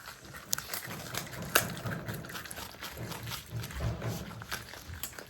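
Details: A pet marmot, one of three Himalayan and Alpine marmot brothers living together, chews noisily, with irregular crunching clicks and soft snuffling over a low rumble.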